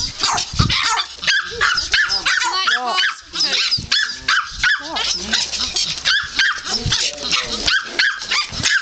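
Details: Puppies in rough play, ganging up on a person, give bursts of high yips and short arching whines with growly barks, repeated irregularly and fast, over background music and human voices.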